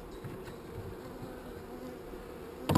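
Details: Colony of honey bees, calm rather than angry, humming inside a hive while the keeper searches frames for the queen. A low, even, droning buzz throughout, ending in a sharp clatter.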